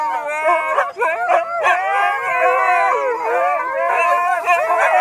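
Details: Delta, a Siberian husky, howls in long, wavering, tuneful notes during a Sunday family sing-along, with people singing along.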